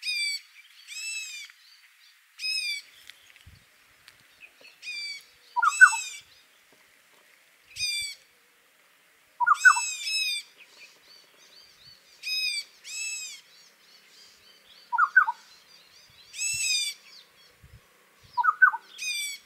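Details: Barking deer in the Himalaya during a territorial fight in which the loser ran away: short, arched, harmonic-rich barks in spaced bursts, often doubled, interleaved every few seconds with a lower, quick paired note.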